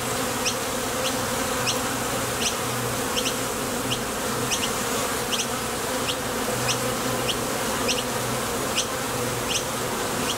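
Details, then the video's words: At the mouth of a Top Bar Hive, bees flying out to gather nectar and landing again produce an unbroken, throbbing buzz, with light high-pitched ticks scattered along it. "Bees Sound Effects"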